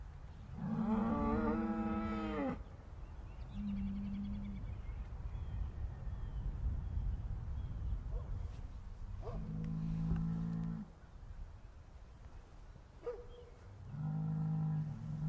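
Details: Cows mooing in a sad, upset way: four long, deep, droning moos with rich harmonics, some bending downward at the end, separated by a few seconds of quiet background hum.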